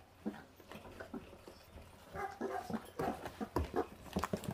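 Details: Five wild-born 28-day-old puppies eating raw meat until only bones remain. Faint at first, then a run of sharp squeaky yaps and grumbles grows busier in the second half, close and indoors-sounding.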